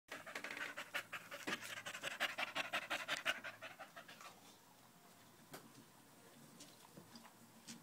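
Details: A dog panting loudly while pressed against a person's leg, recorded on 5 August 2013 with a new Malinois puppy nearby; fast, rhythmic breathy huffs for about four seconds, then fading to quiet rustling.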